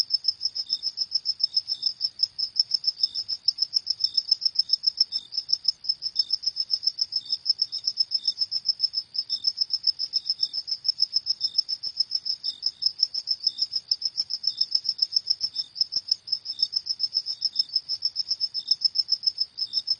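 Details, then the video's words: Cricket at night, a steady high-pitched chirping pulsed rapidly and continuously, with a fainter lower chirp dropping in at intervals; no other sounds stand out. "Suara Jangkrik di Malam Hari"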